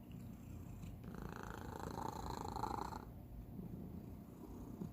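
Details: Indoor domestic cat with a peculiar purr: a dense, low vibrating rumble throughout, with one longer breathy swell in the middle before settling back to a quieter steady purr.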